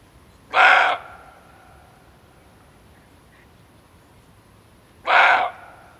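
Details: A roe deer buck gives two harsh, hoarse alarm barks about four seconds apart, calling attention to himself.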